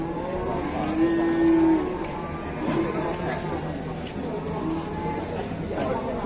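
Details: Cattle at a market in Indonesia, brought down from Mount Telomoyo to find buyers, one clear sustained moo near the start, then quieter lowing under talking and vehicle noise.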